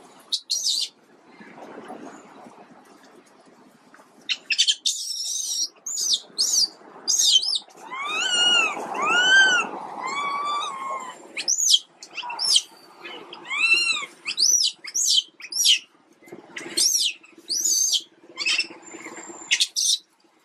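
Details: Quinton, a sick baby monkey, gives high arched whistling cries with bright harmonics, some rising and falling, in irregular bursts, mixed with sharp high squeaks and clicks.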